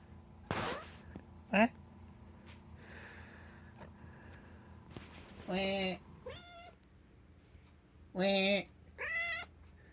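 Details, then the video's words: Domestic cat giving strange meows described as an-an, aan: a short bright cry, then several longer wavering harmonic meows, some rising and some falling, spaced a second or two apart, over a low steady background hum. "アンアン・アーンと鳴く猫 strange cat sounds"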